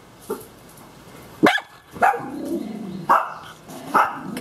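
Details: Morning greeting from two mini schnauzers, blind Kishka and youthful Lapi, excited to see their owner get up: short sharp barks repeated roughly every second, with a quieter whine between them.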